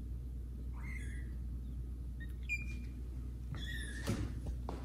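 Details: Indoors at home, young kittens Caramel and Zephyr meow loudly while being introduced to resident cats Kira and Daddy; several short, high meows, some sliding downward, come in quick succession, with a soft bump and steady background hum.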